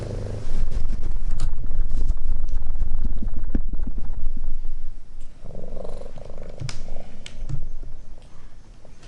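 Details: Rescued talkative kitten, so attached to its foster mother cat that it cannot become independent, purring in a steady low rumble that swells after the first half second and eases toward the end, with scattered soft clicks.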